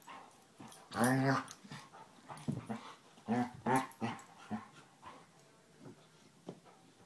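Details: Basset Hound pair Tracker and puppy Ranger at play: two loud, resonant growling barks stand out, followed by softer grumbles and snuffles trailing off.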